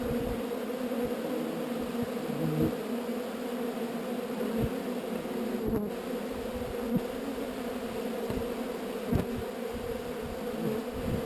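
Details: Swarm of honey bees being relocated from an undesired location, giving a dense, steady, low droning hum with no break, mixed with a few soft knocks and handling taps.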